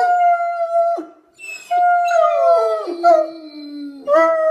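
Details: Otterhound chorus of Bella, Phoebe and Ozzy, contest winners, howling in steady held notes. A one-second tone stops abruptly, a short gap follows, then several voices glide downward together before a final fresh howl starts.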